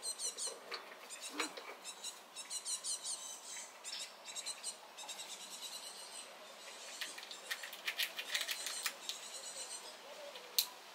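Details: Small red squirrel making a racket as another squirrel approaches, defending its place at the nut supply: a rapid series of thin, high, harmonic squeaks and chattering bursts, fairly quiet, spread irregularly across the whole stretch.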